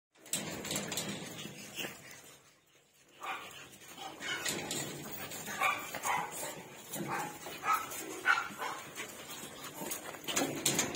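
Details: Pug puppies, male and female, making short high yelps and whimpers in bursts, with a brief quiet gap near the start and human voices in the background.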